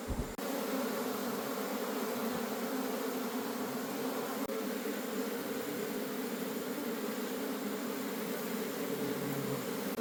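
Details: Honey bees from a wild colony in the forest, disturbed during a honey harvest, fill the air with an unbroken, even buzzing drone after a short sharp onset.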